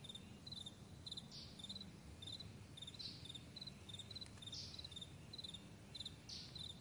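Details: Crickets chirp on a morning meadow: crisp high pulsed notes in evenly spaced groups, with faint rustling swishes and a low background rumble.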